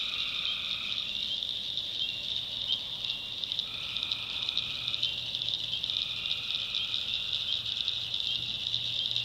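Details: Tree frogs calling at night in a North Carolina backwoods swamp: steady trills of one to two seconds, each with a fainter higher overtone, repeat over a dense, constant high-pitched chorus, with a low steady hum beneath.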